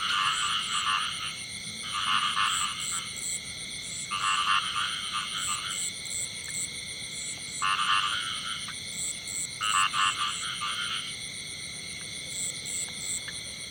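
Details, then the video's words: A male frog sings in the field: five distinct raspy croak bursts, each about a second long and made of rapid pulses, spaced roughly every two seconds, against a continuous high droning hum. "The song of a male frog in the field"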